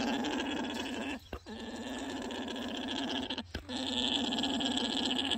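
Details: A male alpaca's mating song (orgling) to attract females: a steady, loud, continuous guttural, buzzy gurgling drone, broken by two brief pauses.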